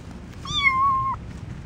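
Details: A male orange foster kitten, outside on grass for the first time, walks toward a person giving a single drawn-out meow, steady in pitch with a slight rise at the end.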